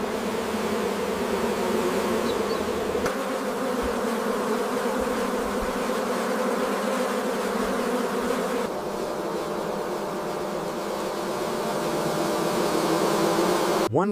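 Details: Massed honey bees at a large commercial apiary with thousands of hives: an unbroken, droning hum with steady tonal bands lasting fourteen seconds, slightly shifting midway, ending in a brief rising whoosh.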